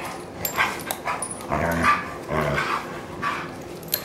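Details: German Shorthaired Pointer Kingsley and Wilma the Bloodhound play-wrestling on a couch, rescue dog in care; low harmonic growls around the middle seconds, with scuffling, panting and short yips between.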